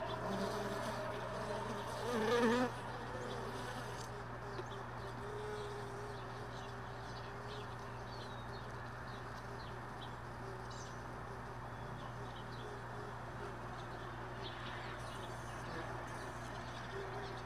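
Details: Honey bees around hive boxes left all day in a truck bed, stored early in the morning after most bees had left overnight; a steady, low, diffuse buzzing hum with a brief louder passing drone near the start.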